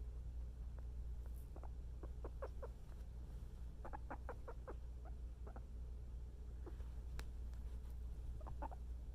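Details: A cuddled guinea pig utters repeated soft clucking chirps, single and in quick runs of four or five, spread across the recording with a few brief higher clicks and a constant low background hum.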